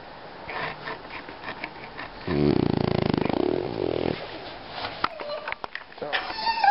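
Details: French Bulldog snoring and making funny noises: one loud, rough, rapidly pulsing snore lasting nearly two seconds in the middle, with quieter snuffles, faint sniffs and sharp clicks before and after.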